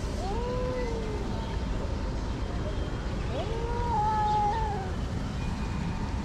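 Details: Hungry cats gathered in a garden in Morocco, one of six abandoned cats: two drawn-out, harmonic meows rising then falling, near second one and four seconds, over steady low traffic rumble.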